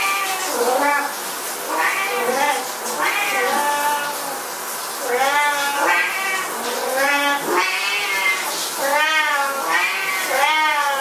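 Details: Several Siamese cats yowling at shower time: repeated prolonged meows, each arching up and down in pitch, following one another almost without pause.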